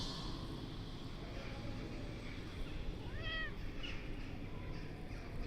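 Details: Domestic cat giving a single soft, short meow, an arched harmonic call rising then falling, midway through an otherwise quiet stretch with steady low background hum.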